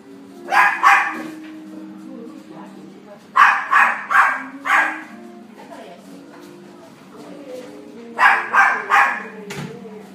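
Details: Female Miniature Dachshund puppy, yellow coat, born 6 February 2017, kept at a pet shop; three separate runs of sharp repeated yaps, each run of two to four barks, over a soft steady background tone.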